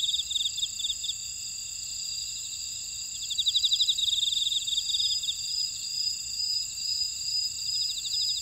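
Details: A dense chorus of grass insects in a buckwheat field at Ora-dong, Jeju Island, South Korea, steady high trills and pulsing chirps layered together.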